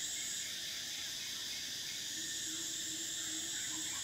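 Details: Continuous shrill cicada singing in summer, a dense high-pitched whine without pause, joined late by a faint steady low tone and a few soft chirps.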